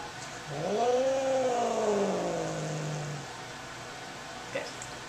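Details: Cat upset at the vet, yowling on the examination table: a single sustained moaning wail, rising briefly then sliding gradually lower for nearly three seconds, followed by quiet room noise and a small click.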